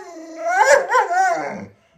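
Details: Alaskan Malamute at home, guarding its 'baby' as its owner teases it, lets out one drawn-out, wavering howl-like vocalisation of about one and a half seconds that rises and falls twice before breaking off into silence.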